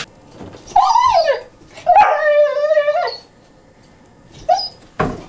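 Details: Newfoundland puppy named Beaumont, 12 weeks old, indoors: two long tonal whines, the second a level sustained cry of about a second, then a short yelp and a sharp click, with a quiet room behind.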